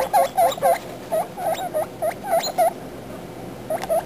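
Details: Baby guinea pigs chattering: quick, bright squeaks with a short upward flick, several per second in irregular bursts, then a brief pause before more.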